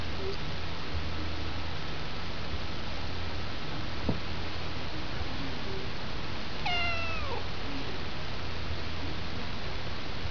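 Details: During indoor play fighting with his owner, a male pet cat lets out a single falling meow midway, harmonic and brief, against a constant low-pitched hum and a faint steady tone.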